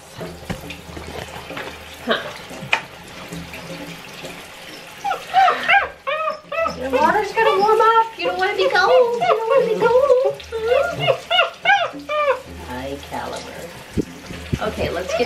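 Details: Six-week-old Great Dane puppies crying through their first bath, which they hated; shrill arched whines pile up in overlapping bursts in the middle, with warm tap water running and a woman talking softly throughout.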